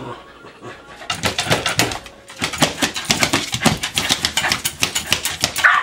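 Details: Princess, a pet dog at a cabin, claws obsessively at cabinet doors hoping they open or mice appear; quick repeated raspy scratches after a quiet start, pausing briefly, then resuming steadily with a faint whimper at the close.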